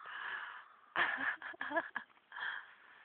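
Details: Baloo, a horse collapsed into deep sleep after sitting up, snores loudly: rasping, wheezy breaths in uneven bursts about a second apart, with a woman's voice talking softly to him around them.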